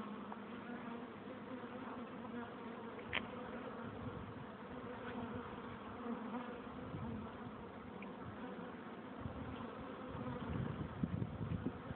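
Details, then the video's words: Dense, continuous droning of many honey bees crowding a hive entrance; a low, even hum with rough buzzing texture, swelling slightly louder near the end as bees pass nearby. "Bees in the hive entrance - Bienen im stock eingang"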